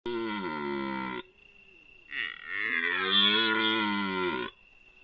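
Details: Male red deer lying down and bellowing in front of a camera trap in a panoramic area of Foreste Casentinesi National Park, Italy; two long, hoarse, harmonic-rich roars, the first about a second, the second longer, separated by a brief pause.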